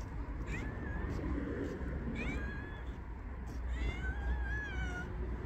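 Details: Angry pet cat meowing, said to look adorable when he meows; a few drawn-out, slightly wavering meows with faint harmonics over steady low background rumble, with some human talk nearby.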